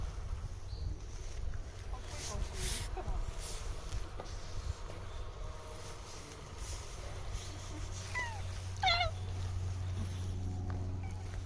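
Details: Cat living at a shrine, spoken to by a visitor, answers with two short harmonic meows near the end, the second rising then falling; quiet outdoor hum and some human speech earlier.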